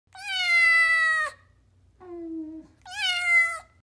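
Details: A kitten after a bath gives three long, loud meows that hold steady and slide slightly down at the end. The middle call is lower, shorter and softer than the bright, harmonic-rich first and last.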